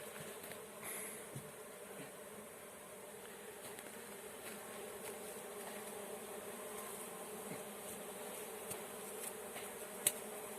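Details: Massed honey bees in a swarm being collected hum in a constant low drone, scattered with frequent small clicks and knocks and one sharp tap near the end.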